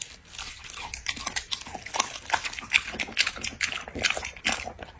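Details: Dog eating with rapid crisp crunches, roughly two bites a second in an uneven rhythm, sharp and bright, continuing throughout the short stretch.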